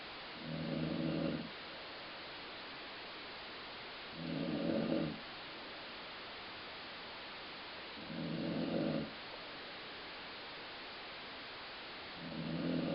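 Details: Colline Ford the dog snores steadily, a noise likened to a growling stomach. Four coarse, humming low snores come at an even pace about every four seconds, with quiet breathing gaps and soft hiss between.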